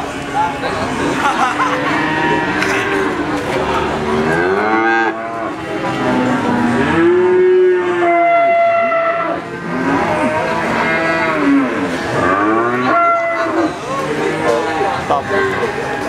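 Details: Crossbred Simmental calf giving repeated moos, each a wavering, arched bellow with strong harmonics. Calls follow one another closely over the whole stretch, with a brief quieter gap near the middle.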